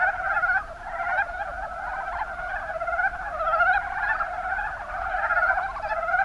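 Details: Chorus of mountain brown frogs (Rana ornativentris) in Kumamoto's Kuma Basin, Japan, with many overlapping pulsed croaks swelling and easing in loose waves, one caller after another, without a clear pause.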